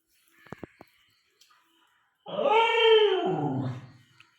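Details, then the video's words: Pet dog Chikku at home in the morning, hungry and asking for food: one drawn-out, harmonic howling whine of about two seconds that sags lower toward its end, after a few faint clicks and taps indoors. "ചിക്കുമോൻ രാവിലെ: അമ്മേ വിശക്കുന്നു"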